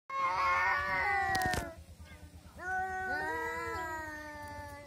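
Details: Two orange village cats yowl in long, wavering, strained tones while fighting fiercely over territory or possibly over a female.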